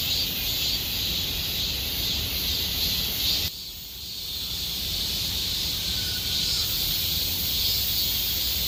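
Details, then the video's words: Cicadas of Gomsol Nuri Forest, Sihwa district, in summer: a loud high buzzing chorus that drops abruptly in volume partway through, then gradually swells back to full strength, with a brief faint whistle and low ambient rumble. "곰솔누리숲의 매미소리 Cicada sound of Gomsol Nuri Forest"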